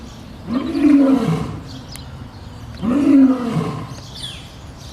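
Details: Zoo lion in Boston, Massachusetts, giving two long, moaning roars about two seconds apart. Each one swells and then falls away in pitch.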